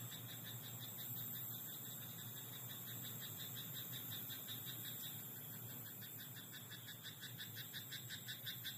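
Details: Frog in a rice paddy at night, calling almost continuously in rapid pulsed notes, several per second, becoming louder and more distinct toward the end, with a steady low drone and hiss beneath.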